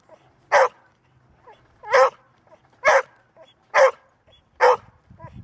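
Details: Five loud, even barks from a female Golden Retriever, roughly one per second, against a quiet background. She reportedly rarely barks, but keeps going tirelessly once she starts.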